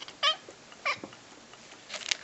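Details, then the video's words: Pet cat meowing on request indoors, answering its owner who asks it to speak: two short, bright, harmonic meows about half a second apart, then a fainter, scratchier sound near the end, with a man's voice heard around it. "My cat saying: "quva""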